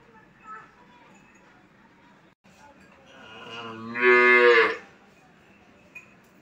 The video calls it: Baby Cow Sounds // Baby Cow Sound Effect // Cow Calf 🐄